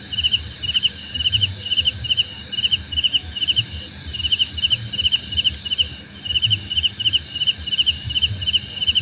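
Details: Chorus of crickets offered as calming nature sound, short bursts of fast high pulses repeating about twice a second, layered callers, a continuous shrill drone and light low-frequency rumble.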